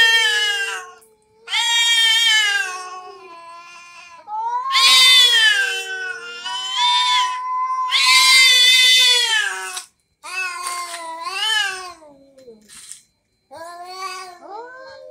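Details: An orange domestic cat, angry at another cat, gives long, wavering, menacing meows that rise and fall, broken by brief pauses.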